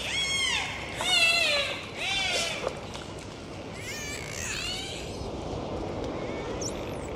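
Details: Dolphins at sea during a full dive: a run of swooping, rising and falling whistles with bright overtones through the first five seconds. The whistles then fade into a steady watery hiss.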